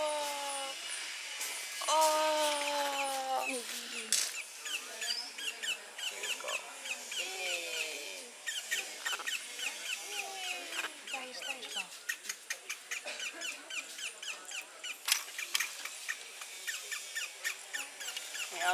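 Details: Orphan baby howler monkey cared for at the Jaguar Rescue Center in Costa Rica gives a burst of plaintive, falling whistled cries early on, then quieter squeaky calls, over a steady background of buzzing insects and occasional handling noises.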